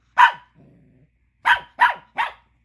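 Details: Angry Chihuahua pup barking because another dog is chewing a tiny bone he wants; one sharp bark, a short low rumble, then three quick high barks in a row.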